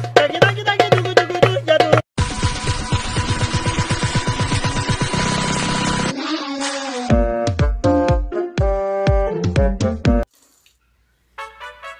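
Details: Lively electronic music changes style several times, with short gaps of silence and no animal voices.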